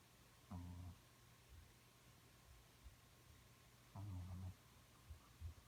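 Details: Sleeping, dreaming dog Smokey gives two short low rumbling snores roughly three and a half seconds apart, with faint soft thumps between, indoors.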